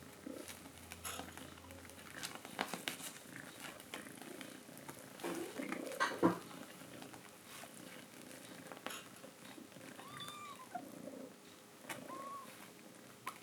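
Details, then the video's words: Mother cat calling her kittens to come and drink milk, indoors; a low pulsing purr-like rumble runs throughout, with two short arched mews late on, plus scattered clicks and rustling. "Mother cat calls her kittens to drink milk"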